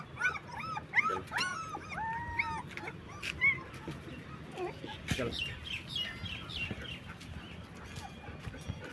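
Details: Black German Shepherd puppies, 20 days old, whimper and squeak in high, arching cries that rise and fall, clustered in the first few seconds and then thinning into softer, scattered whines against a low background rumble.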